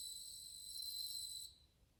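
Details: Chorus of bell crickets recorded in August 2020, a pure ringing high tone with stacked overtones sustained for about a second and a half, then cut off, leaving faint low background hum.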